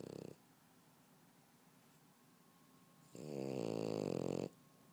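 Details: Sleeping French Bulldog on a couch gives a brief snore tail, then after a quiet pause a strong rasping snore lasting about a second and a half, harsh and buzzing.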